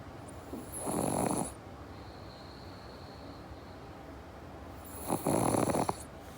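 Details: Sleeping pug snoring, from a household with pugs Jaba and Morgan: two raspy, rattling snores about four seconds apart, each lasting roughly a second, with quiet breathing between them and a faint steady high whine in the background.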